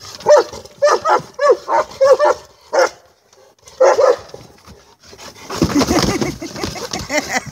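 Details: Saint Bernard at play with a toy barks in a quick run of five or six strong woofs, pauses, barks again, then rustling, muffled noise takes over.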